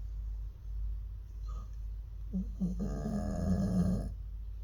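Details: An aging Jindo dog at a Korean pet welfare centre, January 2023, its snoring worsening over the years: low continuous rumble swelling into a loud, strained, nasal snort with a harsh buzzing edge.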